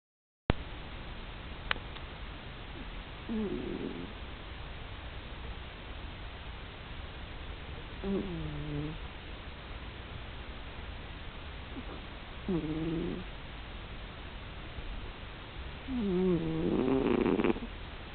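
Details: Domestic cat snoring loudly in deep sleep; slow rasping breaths, each lasting about a second and rising and falling in pitch, come roughly every four to five seconds and grow louder toward the end, over a quiet room hum.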